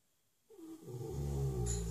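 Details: Big six-year-old Shire horse named Ben, flat out asleep in his stable, starts a snore after a brief silence, a wheezy rising note swelling into a deep rattling rumble.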